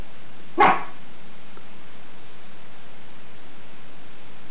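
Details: A single sharp, loud bark from Captain Jack Sparrow, a Schipperke guarding the house, followed by quiet room hum.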